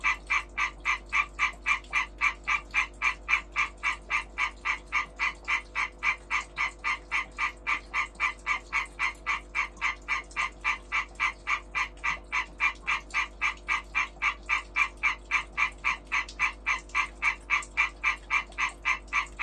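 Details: Breeding European tree frog giving a long unbroken series of loud, evenly spaced rasping knocks, close to four per second, with no other animals heard over a low constant background hum.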